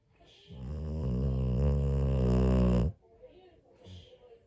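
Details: Pit Bull asleep on New Year's morning, giving a long, drawn-out low snore lasting over two seconds that swells gradually, followed by a couple of faint, soft breaths.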